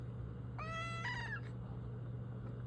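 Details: Female domestic cat meowing to be let outside during freezing cold weather: one clear, drawn-out meow lasting under a second, steady then falling slightly at the end, over a constant low indoor hum.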